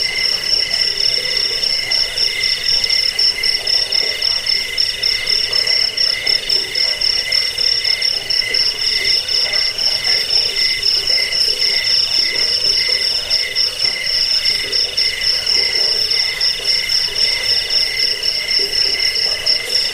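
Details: Cricket sound for repelling rats, bedtime listening and teaching songbirds: twenty seconds of constant shrill pulsed chirping, a high ringing trill layered over lower steady pulses, with no pauses.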